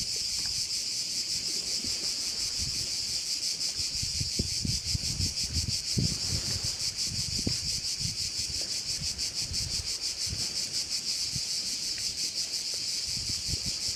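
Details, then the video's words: Many crickets sing together at a Korčula bay, making a steady high-pitched, pulsating hiss for the whole stretch. Wind buffets the microphone and low rumbles rise and fall beneath. "view of one of the bays in Korcula with sounds of crickets"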